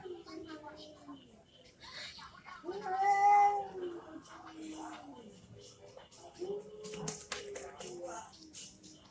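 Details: Angry cats fighting: long, drawn-out, wavering yowls that rise to a loud, harsh peak mid-way, then lower growling moans, with some speech-like sounds.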